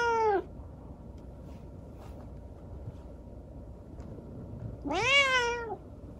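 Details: Rescued kitten with injured legs after an accident, talking at night indoors: one meow cut off at the start, then a long clear meow rising then falling, strongly harmonic, over a quiet room hum.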